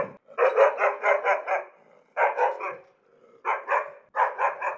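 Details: Four fast runs of gruff, angry barks from a dog, the first a long string of about six, the later ones shorter, with quiet gaps between.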